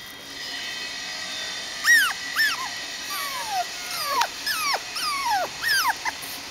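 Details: Biewer Yorkshire Terrier puppy, seven weeks old, in early kennel training on height changes and balance. A string of clear, high whines, each sliding sharply downward, comes about every half second over a steady background hiss.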